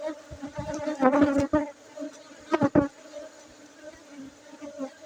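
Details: Loud, close buzzing of Aceh honey bees: an even low drone with strong overtones, swelling in bursts around the first and third seconds, with scattered clicks and knocks.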